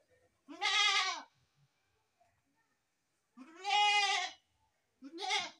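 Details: Three loud, quavering bleats from baby goats, each about a second long and shaped like an arch in pitch, separated by short quiet gaps.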